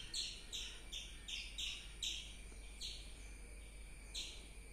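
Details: Squirrel chirping: a series of sharp, high chips in quick succession, about two or three each second, with slightly uneven spacing over a steady low hum.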